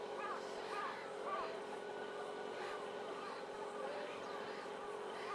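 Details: Newborn meerkat babies at Nagasaki Bio Park, February 2008, give short, arched chirps, repeated in quick succession over a steady background hum.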